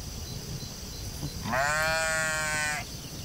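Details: One drawn-out, tremulous bleat just over a second long from a sheep in a field, set against a low rumbling background and a constant faint hiss.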